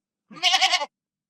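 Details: Domestic goat in a rural setting giving a single short, quavering bleat lasting about half a second, with a rapid vibrato and a bright, nasal tone, and a soft rising start; no other sounds.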